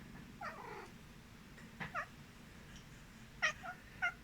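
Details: Domestic cat reacting to people sneezing while it sleeps, indoors: a few short, soft, chirpy meows with bending pitch, spread over four seconds against a quiet room hum.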